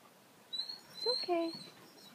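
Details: A dog eager to chase deer whimpers: a few thin, high whining tones, then a short, wavering, lower whine in the middle of the clip. The background is otherwise quiet.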